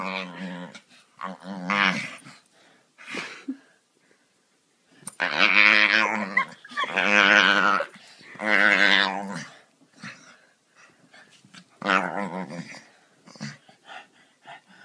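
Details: A Staffordshire Bull Terrier grumbles and moans in long, wavering, throaty bouts while playing and getting its belly rubbed.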